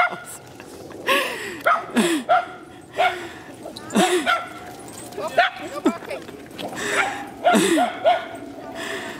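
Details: Little dogs bark while lurchers are chased and run: sharp, high yips and barks in quick irregular bursts, with rustling and movement noise between them.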